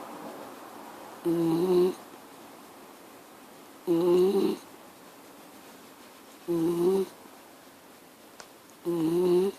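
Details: Miniature Schnauzer making noise indoors in a small room: four short nasal, tonal snore-like bursts, each under a second, spaced about every two and a half seconds, with quiet pauses between.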